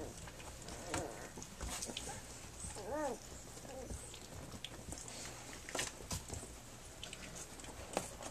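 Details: Flute's puppies at three weeks old, nursing and playing; two short arched squeaky whimpers, one near the first second and a clearer one at three seconds, amid soft shuffling and small thumps.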